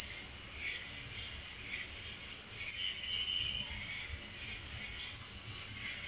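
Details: Crickets chirping at night: a steady, high, shimmering trill that never breaks, with softer pulsing chirps underneath and a faint low rumble.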